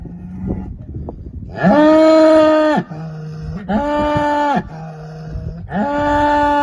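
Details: Large bull bellowing: three loud, harmonic, drawn-out bellows about a second each, with lower grunting hums between them; quieter low rumbling before the first bellow.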